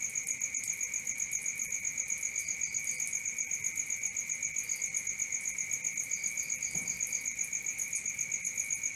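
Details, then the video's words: Night crickets keep up a constant fast-pulsed shrill trill over a lower steady whine, with short groups of higher chirps dotted through; a faint low thump near the end. "Cricket 1 hour for Sleeping & Relaxation"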